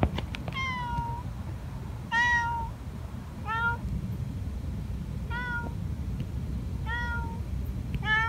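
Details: Stray street cat met at night after work, crying repeatedly: six harmonic meows, each about half a second, held level then slightly falling, spaced roughly every one to one and a half seconds over steady low traffic rumble.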